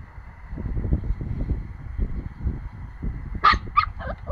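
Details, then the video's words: A nine-week-old Pomsky puppy gives two sharp, high yipping barks in quick succession near the end, trailing into a softer whine, over steady low rumbling and handling noise. "Pomsky barking"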